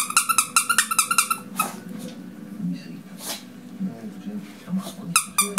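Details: Five-week-old short-coat Chihuahua puppies indoors giving a rapid series of high, squeaky yelps and whines, about a dozen in the first second and a half, more bursts near the end, over a person's talk and faint music.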